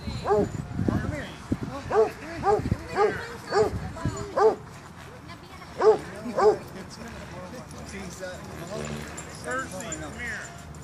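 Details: At a dog park, Basset hounds bark in a quick series of about eight short, arched, resonant barks over the first seven seconds. Background chatter continues and the dogs fall quiet afterward.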